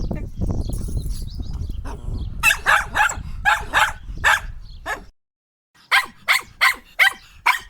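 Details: Rumbling low background noise gives way to a Sheltie barking sharply in a run of about six barks. After a pause it barks five more times at an even pace.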